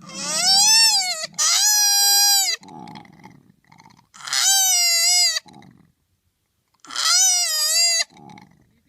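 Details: Koala giving three loud, high, wailing squeals rich in harmonics, each about a second long and bending slightly in pitch, with softer rough grunting sounds between them.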